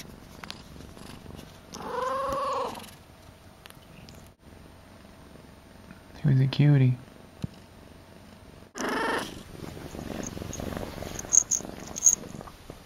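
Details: Akari, a young pet cat just woken from a nap, gives three meows indoors: a long wavering one, a short rising chirp-like one mid-way, then another drawn-out cry, with soft purring and handling noise between.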